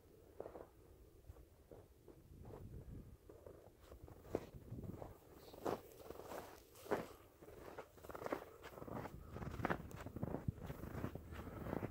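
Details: Quiet crunching footsteps during a midnight hike in a heavy February snowstorm in the Mississippi River valley, with soft rustling of clothing and no barking or other animal calls.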